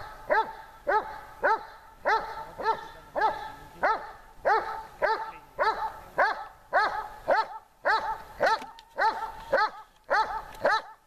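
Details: Dog during training on a hot day, barking steadily in a regular series, about two barks per second with clear harmonic tones, with no other notable sounds.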